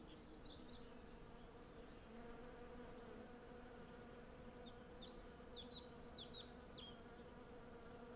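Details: Swarm of hundreds of western honey bees foraging for honey on a cherry tree in bloom, captured with Sennheiser MKH 8040 stereo microphones on a Zoom F6: an even, continuous low hum, with scattered high bird twitters and a short trill.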